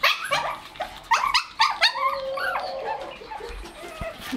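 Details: Shih Tzu puppies nearly two months old with their mother at milk time, indoors: a rapid run of high yaps and yelps, then a drawn-out falling whine, with a woman speaking over them.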